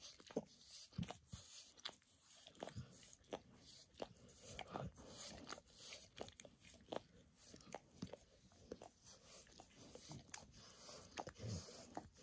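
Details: Dog named Max in a spontaneous grooming session, licking his own paws and a person's foot: sharp moist tongue smacks and soft clicks, irregular but frequent, at a close, quiet distance.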